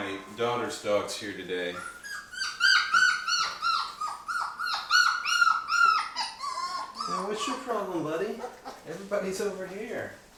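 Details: Day-23 Labrador retriever puppies from Mocha's litter jostling over their first puppy food indoors; a long run of quick, high, wavering whines, several pups overlapping, with a person speaking nearby.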